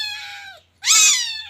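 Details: Loud, close meows from a teething Scottish Fold kitten called Look Tan: one sustained call that sags at its end, a short silence, then a sharper, brighter meow that rises and fades.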